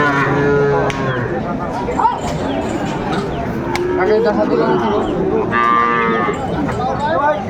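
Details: Sahiwal bull calves at a busy cattle market in Sylhet on 29 June 2024, several deep harmonic moos rising and falling among constant crowd chatter and voices.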